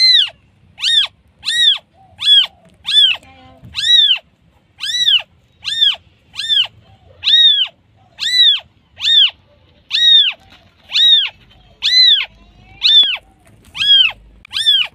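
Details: Repeated high-pitched mewing from a newborn kitten calling its mother, about eighteen short arched cries in steady succession, each bright and harmonic-rich, over near silence.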